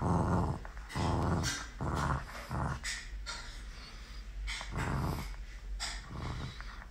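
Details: Galu, a Miniature Pinscher puppy, at play: deep gravelly growls come in short bursts roughly every second, rising and falling in loudness, with light rustling between them indoors.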